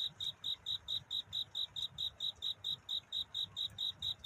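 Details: Cricket calling for love on a night toward dawn: a crisp run of short high chirps, about three per second, regular and unchanging in pitch, with soft low background noise.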